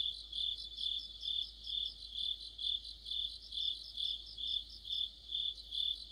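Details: Autumn insect chorus of crickets near a streetlamp in Korea, high-pitched trilled chirps rising and falling in regular pulses a little over twice a second, several insects layered together.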